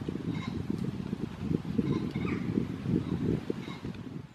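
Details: Red deer in rut at Studley Royal Deer Park on 30 September 2021, giving a harsh, deep, rumbling roar that pulses steadily through the whole passage, with faint high bird notes in the background.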